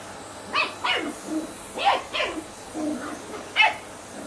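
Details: Ten-week-old Shetland Sheepdog puppy Sian reacting to a Hoover she does not like: shrill yapping barks, mostly in pairs, dropping in pitch at their ends, with softer whiny yelps between bursts.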